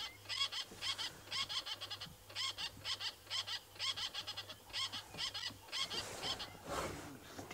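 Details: Wild squirrel alarm calling from a tree at Twin Dams at sunrise, facing observers; rapid harsh chattering bursts in clusters, roughly once a second, with a low steady hum and a person speaking softly.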